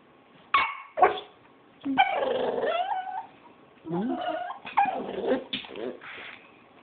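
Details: Pet puppy making cute sounds: a string of short yips and warbling, harmonic whines that rise and fall, in bursts separated by brief pauses, with a person speaking softly nearby.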